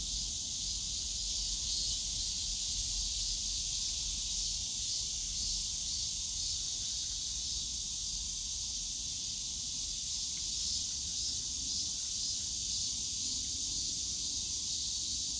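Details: Cicadas in the bamboo woods of Yongsan Family Park on a summer day, an even, sizzling high-pitched drone that never pauses, with a low hum of surrounding park noise and a faint low tone late on.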